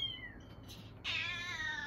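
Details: Domestic cat heard indoors, where a cat's maternal instinct bursts out on hearing a kitten meow: a faint falling call, then a loud, sustained, slightly wavering meow that holds and slowly drops in pitch, with soft background noise.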